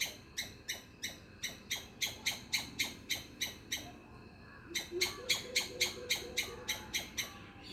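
A squirrel gives a fast series of harsh, sharp chips, about three or four each second.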